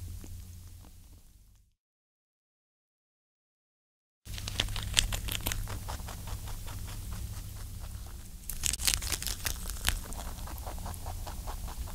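Close, crackly scraping and wet clicking noises over a low hum, broken by a few seconds of silence.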